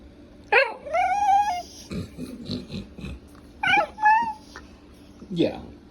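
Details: Male pet Welsh terrier making funny noises: a high, drawn-out whistled whine that slides and wavers, a pause with low muttering grunts, then a second rising-falling whine and a short downward yelp.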